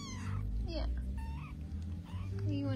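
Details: Kittens playing indoors give several short mewing calls, some rising and others falling, spread through the clip. A woman speaks over them and television sound plays beneath, with a steady low hum.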